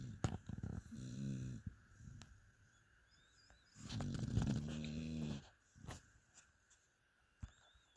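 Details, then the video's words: Mia, a dog fast asleep, produces a short low snore followed by a longer, louder wheezy rumble, then quiet breathing with occasional clicks in a small room. "Mia the amazing snoring dog."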